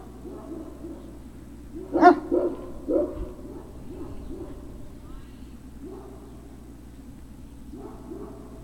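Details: Great Dane puppy at Puppy Hill on 03-06-2019 in the late afternoon, giving a short burst of sharp yips around the middle, followed by softer, low, wavering whines that fade in and out.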